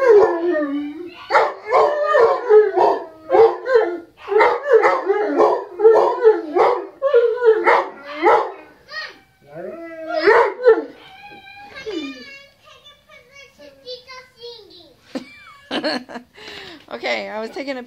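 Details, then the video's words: English Mastiff dogs singing to a siren, a dense run of overlapping howls and yips in the first half, fading into thinner scattered wavering notes, with a few sharp barks near the end. "The Mastiff Song!"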